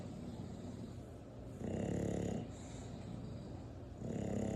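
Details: Snoring English Bulldog aged eight months, two loud, gravelly snores about two and a half seconds apart, each a low rattling rumble of nearly a second, separated by faint breathing.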